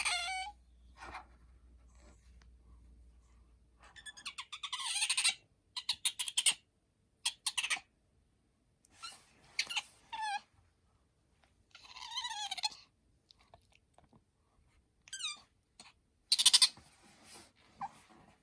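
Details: Bingo, a pet otter with a high-pitched voice, makes scattered bursts of shrill squeaks and short wavering squeals separated by pauses, with a brief hum early on and a person saying the name Bingo.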